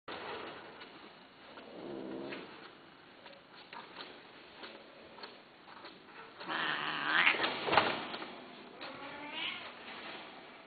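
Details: Domestic cats meowing indoors: a drawn-out harmonic meow near two seconds, then louder, strained, rising meows around seven to eight seconds and a shorter one near nine and a half seconds, over low room noise.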